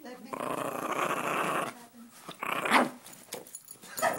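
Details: Female dog, indoors, possessive over money: a long, steady rumbling growl of about one and a half seconds, then a short high whine, with a person talking nearby.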